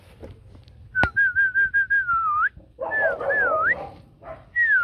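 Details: Rottweiler puppies from a 2024 litter of four, two males and two females, with their mother Hanna Gervi at a kennel on puppy-choosing day. A run of short high whistled whimpers, then long gliding whines that rise and fall.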